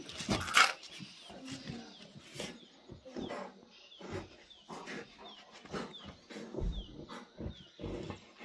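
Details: Himalayan sheep dog, the Baan Gaddi, versus a Tibetan Mastiff: a sharp loud bark up front, then repeated gruff barks and growls, with short falling chirps ticking in the background and some voices.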